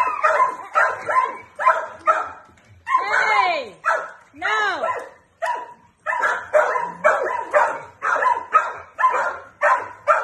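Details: Adoptable male dog, four years old, a suspected Jack Russell Terrier x Plott hound mix in the Wilmington, North Carolina area, barks while playing with a flirt pole as another dog joins in. Rapid sharp barks in bursts, with drawn-out arching howl-like whines in between.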